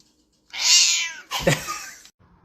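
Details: Cat giving a short, bright, high meow lasting about half a second, followed by a burst of scratchy noise and music in a small room.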